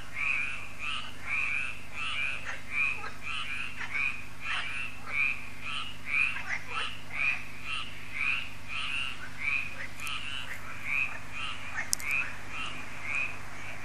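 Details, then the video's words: Frog concert at a lake in France, the Lac de Sabatte, in the evening: many frogs croak together in a dense chorus, a steady rapid series of short rasping croaks overlapping throughout, with a low constant hum beneath. "Froschkonzert an Crystals Lake"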